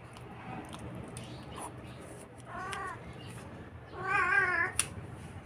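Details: Talkative Siamese cat 'talking' amid a low background hiss: a short faint meow, a pause, then a louder wavering meow with a faint short sound just after.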